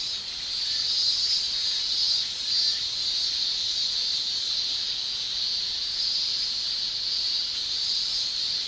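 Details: Male cicadas shrilling in a Japanese summer, tymbal song: a continuous high, even buzz with a few brief brighter accents early on, otherwise steady.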